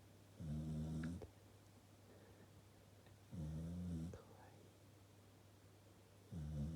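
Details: Corgi dog asleep on its own sofa, snoring like an old man, recorded secretly by its owner after the snoring woke them: low rough snores lasting under a second, about every three seconds, over a steady low hum.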